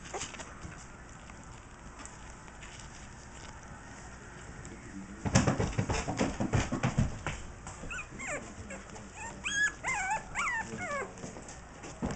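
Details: Jack Russell Terrier puppies being weaned, trying formula from a bowl for the first time instead of a bottle, recorded 25 June 2009 on a Kodak camera; lapping and shuffling noises, then high squeaky whimpers and yips rising and falling toward the end.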